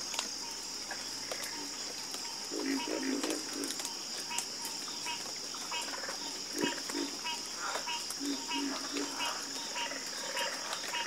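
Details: Frogs croak in a chorus: brief grouped pulsed croaks come in clusters near three and eight seconds against a constant high shrill background drone.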